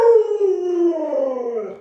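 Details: Alaskan Malamute Luoluo reacting to an owner too sick to get up, with a drawn-out howl that starts higher, sinks gradually, wavers slightly in the middle and tails off quietly.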